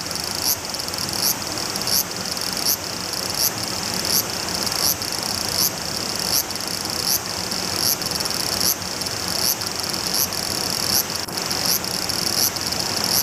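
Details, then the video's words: A large brown cicada walks toward the camera while singing a steady, high sizzling buzz, like oil frying, with faint regular pulses. "歩きながら鳴くアブラゼミ ～気になるんです～"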